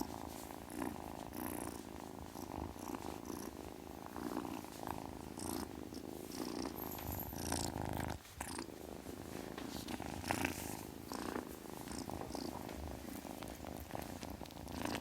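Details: Long, even purring from a kitten, a rapid low throb pulsing in breath cycles, briefly dropping near eight seconds before resuming, with light rustling overhead.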